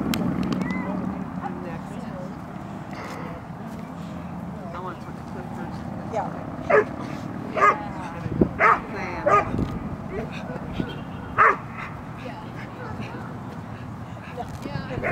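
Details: Eight-month-old female dog in protection work training at a club, lying down while barking; five sharp, short barks come at irregular intervals over the middle of the recording, with people talking and handling sounds throughout.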